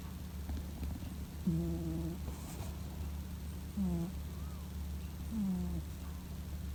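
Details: Sleeping male Scottish Fold cat snoring like an old man. Three drawn-out, slightly wavering nasal snore tones come a couple of seconds apart over a constant low background hum.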